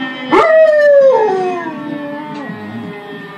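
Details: German Shepherd giving a short howl that slides downward and trails off into a lower wavering whine, with a steady background tone.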